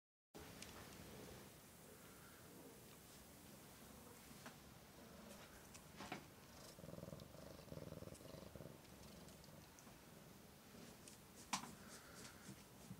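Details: Domestic cat from a cattery of Oriental and Siamese cats. A steady, low rumbling purr runs throughout, with a few soft clicks and brief rustles over it. Near the end there is a short sharp tap.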